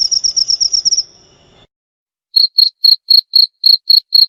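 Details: Cricket sound used as a lure and to drive off rats: a brief rapid high trill that fades, a short silence, then evenly spaced clear high chirps about four per second.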